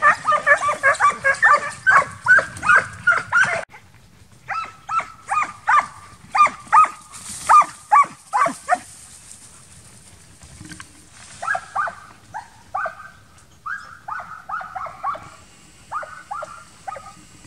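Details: Young Transylvanian Hounds training for wild boar hunting in summer: fast, rhythmic baying, roughly two to three barks a second at first, then a slower run of clear, high, ringing barks with gaps.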